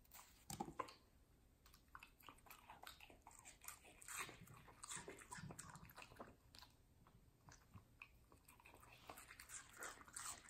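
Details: Watermelon crunched by Middle, a fluffy medium-size Samoyed girl, indoors; sharp juicy bites and chewing repeat rapidly and irregularly, some louder snaps early on, with a faint room hum beneath.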